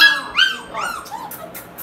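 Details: Young female Labrador Retriever puppy whimpering in a short run of high, thin, falling whines with clear overtones, fading quieter toward the end, while a person speaks nearby.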